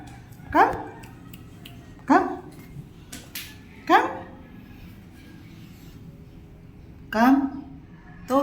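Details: Pet cat called to eat indoors: short meows roughly every one and a half seconds, each a quick rising-falling cry, four clear calls in all, with a woman's coaxing voice nearby.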